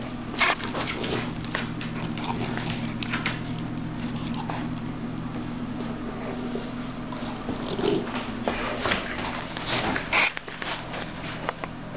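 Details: Indoor play between Jackson, a 15-week-old Sussex Spaniel puppy, and Murphy, a basset hound turning five on February 19: scuffling, snapping mouthing clicks and a short low growly note midway, over a steady room hum.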